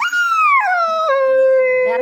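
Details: Nine-month-old puppy Chikku wails at being left behind while his father went to fetch meat. A single loud, falling cry descends in distinct steps and then levels off into a sustained lower moan.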